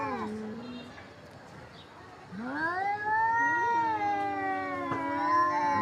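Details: Domestic cats in a fight yowl at each other; a short low moan at the start, then a quiet gap and a long rising, sustained caterwaul with a second voice overlapping.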